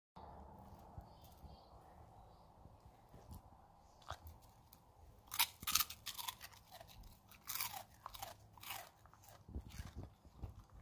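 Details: Siberian husky eating chips for the first time indoors: quiet at first, then bursts of sharp, crisp crunches and chewing, irregular and clustered, several per second at the loudest moments.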